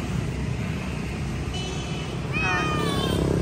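A Persian cat gives a short, high meow that slides downward, over a steady low traffic rumble.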